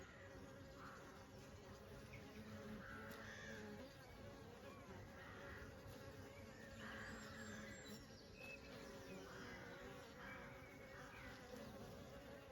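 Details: Summer honey bees hum in a continuous low drone, its overtones swelling and fading, while a softer hissing rises at intervals of about two seconds and a few faint clicks sound.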